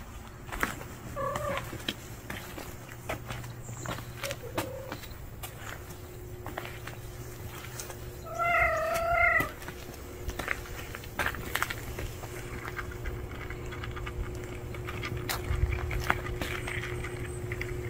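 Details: Orange male street cat, a stranger newly appearing: a couple of faint short mews early on, then one louder, wavering, drawn-out call near the middle, set against steady low hum, scattered clicks and rustling noise throughout.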